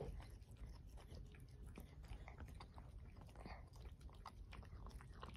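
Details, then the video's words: Two male cats, a Russian Blue and a LaPerm, eating canned food indoors; soft, irregular wet chewing and smacking with faint clicks, quiet throughout. "猫たちが缶詰のご飯を食べる。Cats eat canned food."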